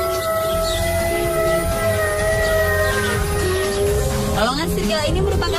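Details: Gray wolves howl in long, smooth, overlapping tones that slide gently, with narration over them. Wolves howl to signal their position to packmates and to guard territory, and can recognise each other from afar.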